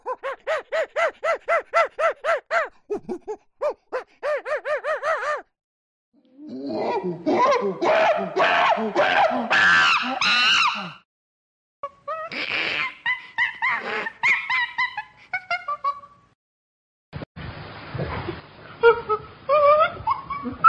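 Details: Chimpanzee calls in several bouts: quick even pants, then a stretch of loud harsh screaming, broken hoots and shrieks, and finally squeals over a hissy background.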